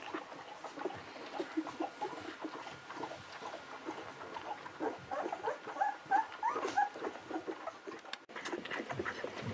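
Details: Litter of Golden Retriever babies at 11 to 13 days of age, born to Aiko of Haarby and Lady Dina: steady low chatter of grunts with a series of four high, short squeals midway and background shuffling.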